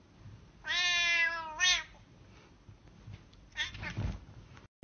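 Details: A single cat gives one clear, tonal meow lasting about a second with a brief upturned ending, followed by muffled rustling and a low thump against faint background hiss.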